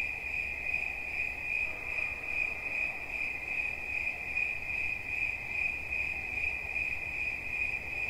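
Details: A cricket's steady, high-pitched chirping runs without a break, pulses coming fast and regular, with a faint low background rumble.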